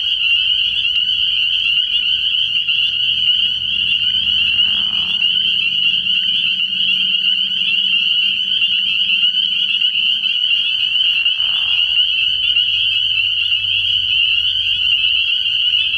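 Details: Spring peepers in large numbers calling from a frog pond at night early in the year: a dense, unbroken high-pitched shrill chorus, with a low droning hum underneath and two brief lower rasping bursts.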